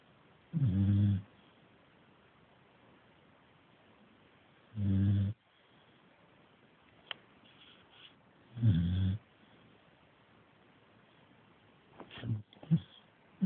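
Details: Sleeping Staffordshire bull terrier pup, worn out from chewing, snores in deep, low, rasping breaths about every four seconds, three full snores followed by a few shorter broken snorts, with a quiet indoor background.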